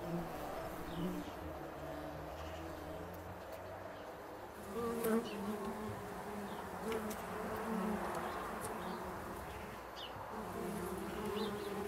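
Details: Bumble bees occupying a bee hotel built to protect them in winter, now a hive; dense overlapping buzzing from several bees, pitches shifting as they fly near, a louder close pass midway, with light ticking sounds.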